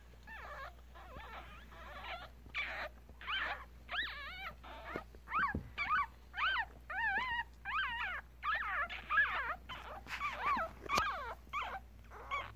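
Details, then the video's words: Newborn Yorkshire Terrier puppies, one day old, litter of three males and two females, recorded on a Galaxy S7; high thin squeaky whimpers with wavering pitch, repeated in quick uneven bursts, a low steady hum beneath. "Baby Yorkie Puppies Was Just Born.. 아기 요키 강아지가 태어났어요.."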